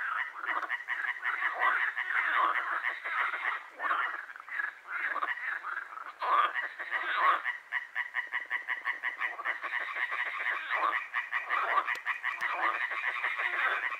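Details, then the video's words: Frogs croaking at night in Hłomcza, Sanok commune, their concert running from moonrise to moonset; a dense, continuous chorus of overlapping rattling, pulsed croaks from many animals, swelling and dipping without pause. "Rechot żab"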